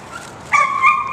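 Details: Dog giving a drawn-out tonal whine, steady and slightly wavering, starting abruptly midway and holding to the end.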